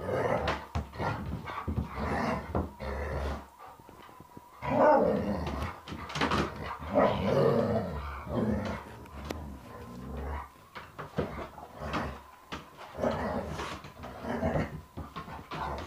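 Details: Three Alaskan Malamutes playing rough with a Springer Spaniel, a rough and tumble the spaniel started; continuous rumbling growls, grumbles and short barks in uneven bursts, broken by brief pauses and scuffling thuds.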